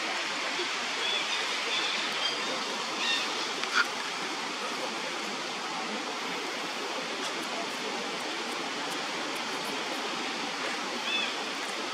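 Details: Steady rushing of a stream or waterfall fills the scene, without any clear animal call.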